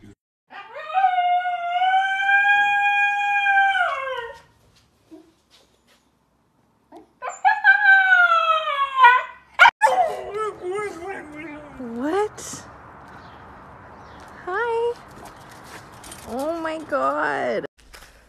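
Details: Pet Siberian Husky howling: a steady four-second howl, a shorter rising one after a pause, then a run of wavering, yodel-like cries that swoop down and climb back up, with faint background hiss.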